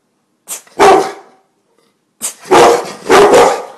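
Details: House dog, from a cane corso and bullmastiff pair that bark on command and guard the home, lets out three loud, deep, gruff barks indoors: one single, then a quick double after a short pause.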